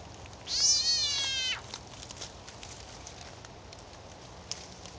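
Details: Frog screaming while being eaten by a snake; one loud, strained, harmonic scream lasting about a second, steady then dropping at the end, followed by faint clicks over background hiss.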